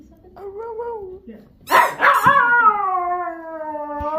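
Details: A dog gives a short wavering whine, then a sharp yelp, then a long, drawn-out howl that slowly falls in pitch; he howls after finding his turkey.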